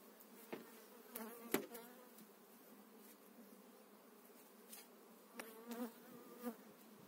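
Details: Spring beekeeping work moving eight frames of honey bees into their own hive: continuous droning hum from the bees, broken by knocks and scraping of frames being lifted and set down.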